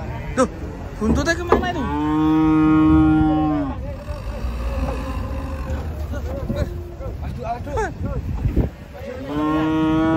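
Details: Huge cows coming down off a truck. A drawn-out, strongly harmonic moo lasts about two seconds, then shorter wavering moos and a final rising call follow, over a steady low vehicle drone.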